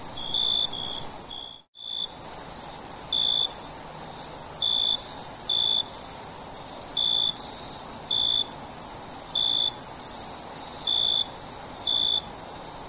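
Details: Night cricket chorus in summer: brief chirps recur roughly every one to one and a half seconds over a constant piercing high trill, with a momentary dropout in the sound near the start.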